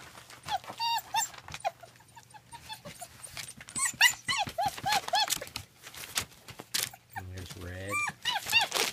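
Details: German Shepherd puppies at a family kennel on rural land in Mayo, Florida, give a busy run of high, short squeaky yelps and whines, many overlapping, with a person talking and laughing over them near the end.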